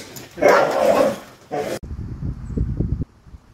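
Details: Protection dog guarding the home: one loud, harsh bark of about half a second with a rough harmonic tone, a brief second burst, then a low rumbling background noise until the end.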